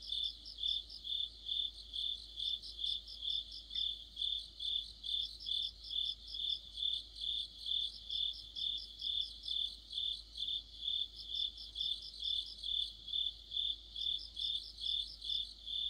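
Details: Autumn insect chorus led by crickets near a streetlight, a dense high trill throbbing in regular pulses roughly twice per second, with rapid ticking bursts above it now and then and a low constant hum.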